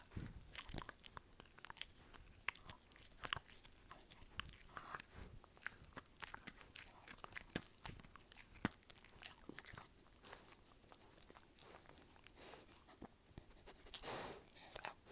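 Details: Dog chewing for ASMR: dense, rapid crunching and biting throughout, loud cracking bites mixed with wetter gnawing, and a brief louder rustling burst near the end.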